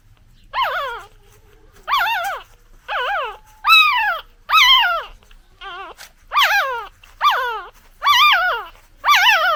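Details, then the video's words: A newborn puppy cries for its mother in a rapid run of about ten shrill, downward-curving whimpers, one softer lower whine in the middle, otherwise steady and insistent. "Puppy Crying Sound 😭 Dog Crying Sound Effect"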